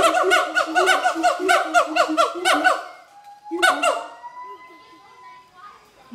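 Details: Siamang pair in a territorial morning-style duet at Schmutzer Primate Center: quick repeated rising barks for three seconds, a long level whistle-like tone, a final short burst of barks, then quieter sliding notes.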